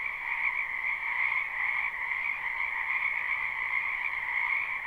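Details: Chorus of numerous frogs from a wetland behind a home in spring, captured live: constant overlapping high trills forming a seamless drone, level and unbroken, with no wind, voices or other animals.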